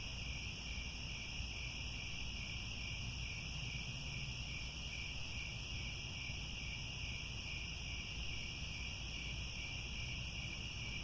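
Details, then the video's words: Crickets at sunset in the grasslands around Angkor Wat, Cambodia: a steady, unbroken high-pitched chorus of layered trilling bands with no pauses, over a constant low rumble of background noise. "The Sound of Crickets at Sunset"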